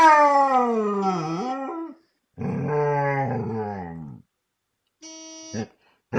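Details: A dog howls in response to car horns: two long, wavering howls with rich harmonics, each about two seconds, sliding downward, then a short, flat, steady car-horn blast near the end.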